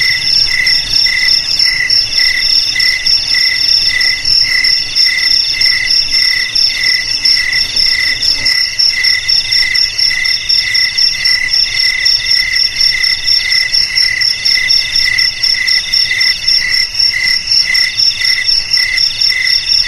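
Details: Jangkrik crickets, said to keep rats away from houses, garages, storerooms and rice fields, chirp loud and fast, about four pulses a second, in a bright high band with a clear lower partner, steady and dense throughout, with a faint low hum early on.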